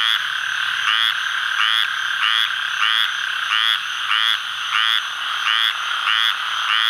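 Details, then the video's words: A male Squirrel Treefrog (Hyla squirella), calling in the Atchafalaya Basin of south-central Louisiana on July 11, 2013, gives short, raspy, duck-like notes, repeated about every second and a half. "Calling male Squirrel Treefrog, Hyla squirella"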